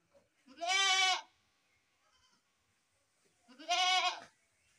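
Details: Two drawn-out, vibrating goat bleats about three seconds apart, separated by near silence.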